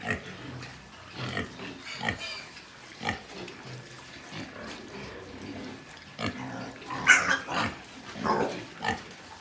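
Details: White pigs at a pig farm in Nepal grunt in short low pulses, spaced about a second apart, with a louder burst of squeals and snorts near the end over quieter background noise.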